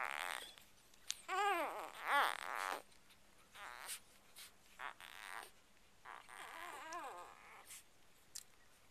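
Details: Two-day-old Chocolate Labrador Retriever puppies from a litter of seven, indoors with their mother Ruby; short rising-and-falling squeaky whines come in bursts, with rustling and quiet gaps between them.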